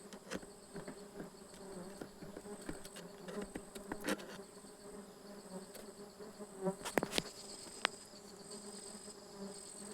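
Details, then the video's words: Stingless bees buzzing during a honey harvest on 24 June 2026, a steady low droning hum with scattered clicks and taps of handling the hive. "Harvesting stingless bee honey"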